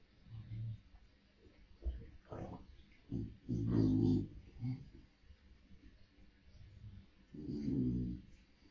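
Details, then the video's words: Samoyed named Russell indoors in the morning, vocalizing to wake his owner: low, throaty grumbling growls in uneven bursts, the strongest near the middle and end, with quiet gaps and faint room noise between. "Waking up Dad is easy for Russell - Samoyed - Ngorok - Bangun Pagi"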